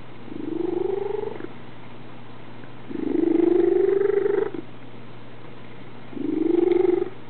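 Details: A domestic male cat purring, a sound his vet likens to a tree frog's trill: three long, loud, rattling bursts, each one to one and a half seconds, rising slightly in pitch, separated by quieter purring over a steady low hum.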